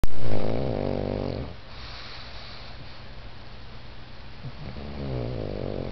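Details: Pug dog snoring away on a couch: a loud, low rasping snore opens, fades into quiet breathing, then another rumbling snore builds near the end.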